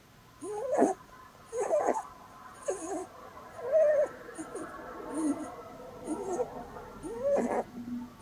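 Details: Sleeping female Holland Lop rabbit named Blueberry snoring while cuddled, a flat-faced breed: wavering whistly squeals and wheezy breaths come in uneven bursts, some warbling, one ending in a low drawn-out tone.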